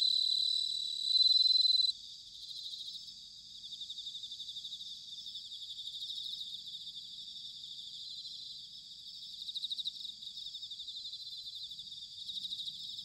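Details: Bell cricket in autumn at Sanuki, Chiba, Japan: one clear, high, bell-like trill of about a second early on, then a dense, pulsing chorus of high insect song continuing underneath.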